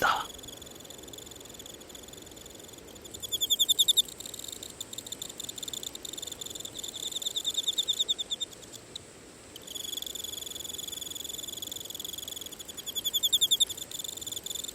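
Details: Emma field cricket calling for a mate on an autumn night, shrill pulsed trills in bursts that start, stop and swell, with a high bright ringing tone and faint broadband background noise.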